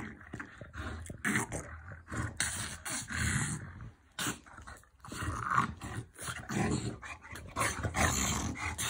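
A French Bulldog gives low, rasping growls in short irregular bursts, with snorts and scuffling between them. The growling belongs to play fighting rather than real aggression.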